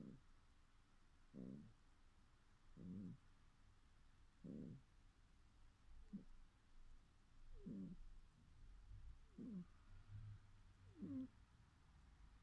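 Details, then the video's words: Domestic cat dreaming in its sleep: soft, low, breathy grunts in a quiet room, eight short bursts each about half a second long, spaced roughly one and a half seconds apart in a steady rhythm. "Cat Dreaming"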